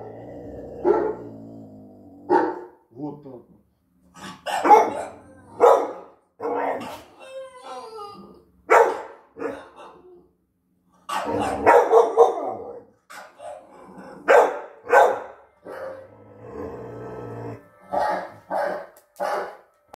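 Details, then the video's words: A 6-month-old pit bull barks in short, sharp bursts at dogs on TV, with some whining and voices in between. "Floki the 6 months UKC Pitbull barking seeing dogs at tv 🐕❤️😅"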